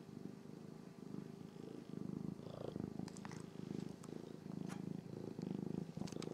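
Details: Sibling Norwegian Forest Cats purring while they groom one another. A continuous low purr rises and falls in slow breaths, about once a second, with occasional soft clicks and brushing sounds.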